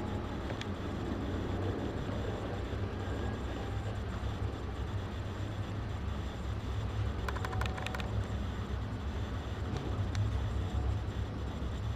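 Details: A steady low rumble like passing traffic or an engine, with a few brief clicks partway through and no animal voice.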